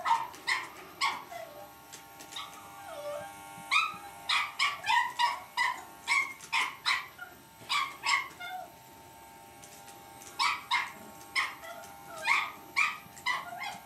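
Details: Puppy Lucy, a Cavalier King Charles Spaniel, confronts an electric shaver, alternating clusters of high, urgent yips and barks with brief pauses holding soft whimpering slides, a low mechanical hum underneath.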